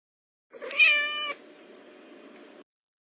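A domestic cat gives a single short meow, bright and slightly falling, followed by faint background hiss.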